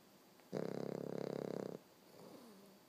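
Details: American Bulldog puppy, 13 weeks old, snoring while asleep: a single buzzy, rapidly pulsing rasp lasting just over a second, then quiet breathing with faint low murmurs.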